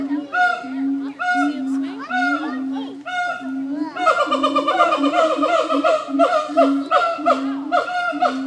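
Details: At the Nashville Zoo, siamang apes call in a steady series of loud, hooting barks, then break into a fast, dense stream of repeated whooping notes that carries through to the end.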